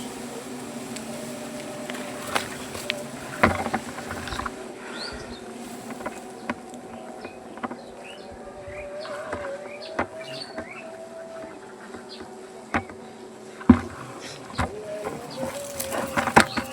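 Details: Honey bees swarm around their comb high on a banyan tree while it is cut for honey collection. A steady droning hum wavers up and down in pitch, broken by scattered clicks, knocks and a few faint chirps.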